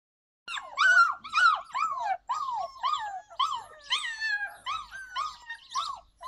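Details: Yakutian Laika, July 2020, giving a fast run of high, arched whining yelps, each note rising then falling, about two per second, with bright overtones and short breaks between bursts.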